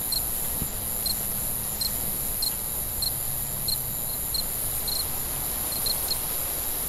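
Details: Cricket chirping at night: crisp, evenly spaced pulses roughly every half second, the only clear animal sound, carried over a constant high-pitched whine and faint low hum.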